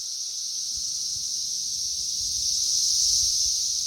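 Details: Swarm of periodical cicadas on a busy tree during the third week of a May 2024 emergence, a constant shrill buzzing chorus growing slightly louder toward the end, with soft low thumps in the background.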